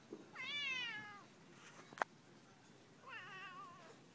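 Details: An annoyed house cat on an afternoon lets out two complaining meows: the first loud and slightly rising then falling, the second lower and wobbling, separated by a sharp click.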